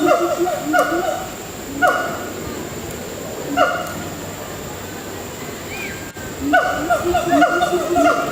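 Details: Gibbons at Singapore Zoo, calling from high in the treetops, give loud hooting whoops in bursts that sweep up and then drop, rising and falling in pitch.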